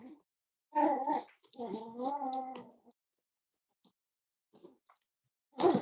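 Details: Cavalier King Charles Spaniel at Red Barn Cavaliers, indoors during a chilly Thursday morning livestream featuring five-week-old puppies; a drawn-out, wavering whine rises and falls for about two seconds, followed by silence and then a brief rustle.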